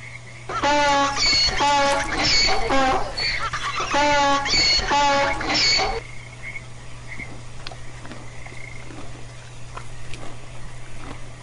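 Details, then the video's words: Domestic donkey braying: a loud, harmonic hee-haw of rapidly alternating pulses lasting about five seconds, then giving way to a steady low hum and quiet background. "Donkey Sound"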